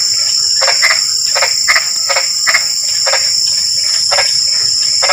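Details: Frogs heard in drizzling rain: quick knocking croaks, often paired, repeated over a few seconds, with a dense whining insect chorus running behind them.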